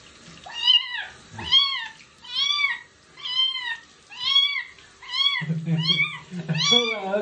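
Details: Stray street kitten during its first bath, meowing loudly and repeatedly, about eight high arched meows roughly once per second, each rising then falling; a person talks softly in the background near the end.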